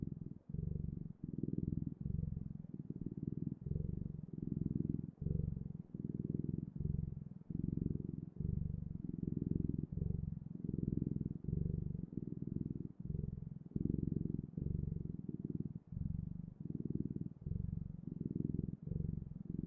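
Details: Close, continuous purring of a house cat: deep vibrating rumble in repeated breath-length bursts, about two every couple of seconds, steady and unbroken by other noise.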